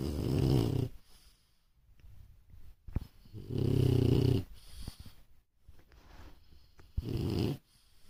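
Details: Real snoring from a French Bulldog indoors: three heavy, low, grating snores, each lasting about a second, come every three to four seconds, with soft breathing noise in the gaps.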